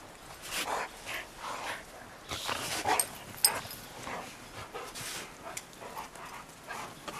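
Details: Playful wrestling between rescue dogs Roe and Bella, a Shar Pei and a Bernese mountain dog–pit bull mix, outdoors in snow: gruff huffs and short growly bursts, irregular, with scuffling and a few sharp clicks.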